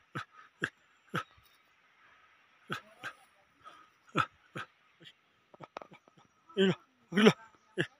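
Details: Tibetan Mastiff (Bhote Kukur) at a kennel in Okhaldhunga, giving a loose series of short, sharp, percussive barks at uneven intervals, about a dozen in eight seconds, ending with two longer, harsher tonal barks; a faint steady hum runs underneath.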